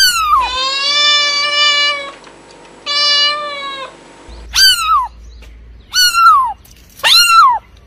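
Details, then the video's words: Domestic cat giving two long, steady, harmonic meows held for over a second each, then three short, sharp meows that fall in pitch, with quiet pauses between. "Real Cat Sounds"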